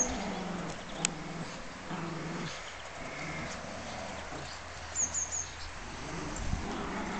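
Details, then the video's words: Two dogs, Heidi, a rescue Border Terrier/Whippet cross being fostered, and Gizmo, a Border Terrier pup, playing tug together; low rumbling harmonic growls for the first few seconds, then quieter scuffling, with brief faint high chirps near the end. "Heidi and Gizmo Playing Tug"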